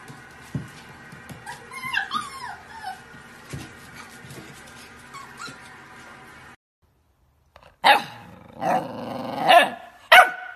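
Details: Dog from a funny, cute dog compilation: several seconds of faint scattered background clicks and chirps, a brief silence, then three loud, sharp, rough barks spaced about a second apart at the end.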